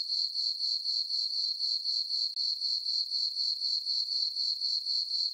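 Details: Crickets chirping on a summer night in a moonlit farm meadow: a steady high-pitched trill pulsing about four times a second, unbroken and regular, with no other sounds.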